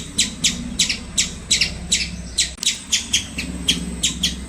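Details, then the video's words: Squirrel uttering short, harsh, buzzy chirps in quick succession, some doubled, repeated every fraction of a second, with a low hum in the background. "Squirrel Making Cute Sounds"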